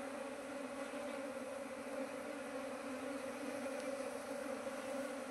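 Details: Constant buzzing of honey bees around a keeper's hives, colonies expanded to nineteen in two months; a smooth, unwavering hum with layered overtones and no other clear sounds.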